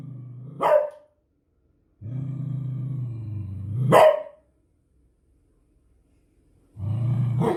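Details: Beagle alternating long low growls with sharp barks that burst out at the end of each growl, three growl-bark runs in quick succession.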